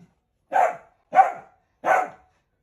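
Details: Three evenly spaced barks from a pet Dachshund, roughly two-thirds of a second apart, each short and sharp, in an otherwise quiet setting.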